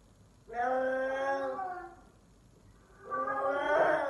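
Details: Male F4 silver Savannah cat giving lion-like calls indoors: two long, loud, strongly harmonic wailing calls, the first steady for about a second and a half, the second rougher and swelling, with a quiet pause between.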